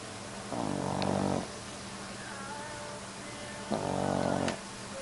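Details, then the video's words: Dog asleep and snoring, giving two long, buzzy, rumbling breaths of about a second each, separated by a pause of roughly three seconds, over a faint steady background hiss. "Snoring dog"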